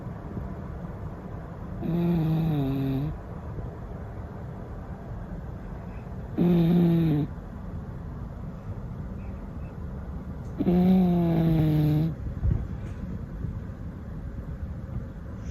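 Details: Sleeping domestic cat snoring: three drawn-out, low, nasal breaths with a tonal buzzing quality, each lasting about a second and spaced roughly four seconds apart, in a quiet small room.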